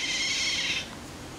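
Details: A single shrill, high squeal lasting under a second from Eurasian otters Jacco and Karin, a pair swimming together at Diergaarde Blijdorp zoo, fading into low background hiss.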